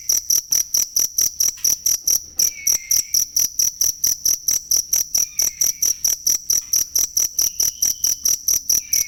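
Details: Authentic cricket chirping meant for training songbirds: quick, evenly spaced shrill chirps throughout, with a brief gap near the middle and occasional soft whistled notes underneath.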